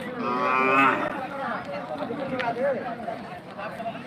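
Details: A single loud, rich moo from cattle at the Rohanpur market rises and fades over under a second, followed by crowd murmur and scattered shouts.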